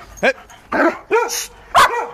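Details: Giant Schnauzer dog at play, barking during a ball game: four short sharp barks roughly half a second apart, each bright and falling, while a man's voice gives commands in Greek nearby.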